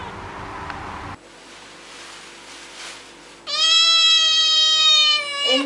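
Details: A cat from a meowing compilation of cats and kittens gives one long, loud, steady meow after a quiet stretch of room noise.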